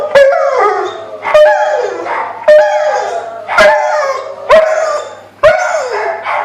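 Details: A Rottweiler howls in response to an ambulance siren, in short, repeated, mournful bursts, each starting high and sliding downward.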